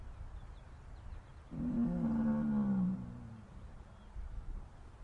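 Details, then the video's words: A single sad, upset cow moo, about one and a half seconds long, low and steady, then slowly falling, over faint background noise. "Mooing Cows Sad Upset"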